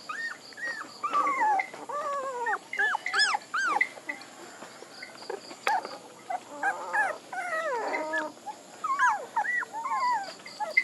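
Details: A litter of puppies cries almost continuously: overlapping arched whimpers, squeaky rising yelps and wavering whines, several voices at once, with a regular beeping tone heard faintly behind them.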